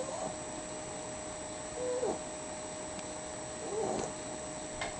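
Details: Dog asleep and snoring, producing rhythmic, husky breaths roughly every two seconds, with a constant background hum throughout.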